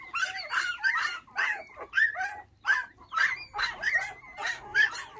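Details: Five puppies, orphaned at six days old when dog thieves took their mother and now bottle-fed with milk, cry in high, wavering whimpers and yelps, about fifty bursts a minute in uneven overlapping calls.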